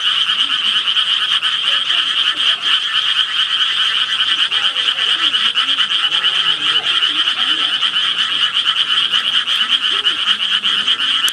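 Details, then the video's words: A frog chorus forms a loud, constant shrill pulsing drone, dense and even throughout, while scattered softer lower croaks rise and fall in the background. "개구리 울음소리"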